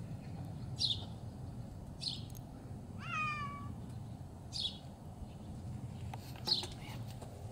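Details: Halie, a female Bengal cat almost one year old, frolics in snow at minus 4 degrees while hunting for her ball; one short harmonic meow rises then falls, surrounded by repeated high, sharp bird chirps and low outdoor rumble.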